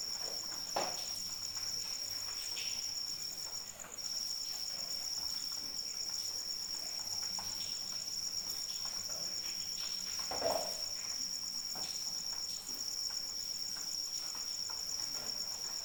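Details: Crickets singing in rainfall, their high, even trill pulsing continuously except for a short break near the start, above steady rain hiss and a few louder splashes or drips.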